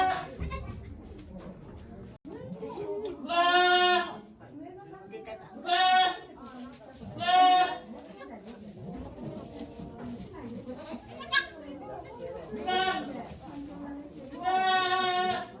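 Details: Okayu, a farm goat at Yoshigake farm in Japan, delivering two kids on 3 May 2023 amid watching volunteers; several drawn-out, strongly harmonic bleats recur every few seconds over steady background chatter of people.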